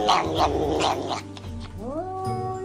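A domestic cat gives drawn-out, voice-like yowls, then a rising, bending meow that sounds almost like a spoken word.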